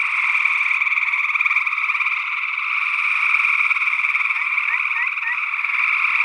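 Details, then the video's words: Gray tree frogs trilling in Northwest Wisconsin, early June 2022, stereo ORTF condenser recording: unbroken pulsed trill chorus, with a few short rising peeps near the end from a second, unidentified frog species, possibly a spring peeper. "Gray Tree Frog Calls"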